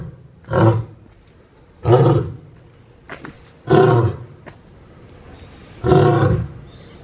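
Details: Lion Moika roaring in the big-cat house of Tokuyama Zoo, Shunan, Japan, around 10 in the morning on 16 December; four loud, deep grunting roar bursts roughly every one and a half to two seconds.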